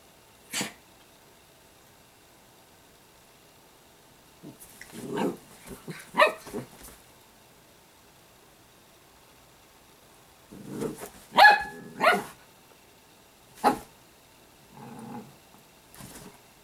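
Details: Sparkle, an Italian greyhound puppy, gives short harsh barks and yelps in uneven bursts, with quiet gaps between the clusters and a single sharp yap near the start.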